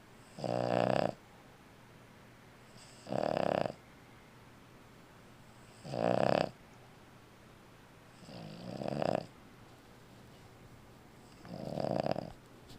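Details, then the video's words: An old female Boston Terrier snores loudly in slow, rasping breaths about every two to three seconds. "Snoring Boston Terrier"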